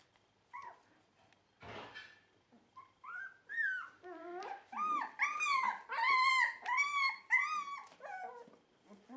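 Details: Dog producing a series of high, wavering whines and yodel-like calls that rise and fall in pitch, several bending upward, becoming louder and more continuous in the second half after a brief rustle.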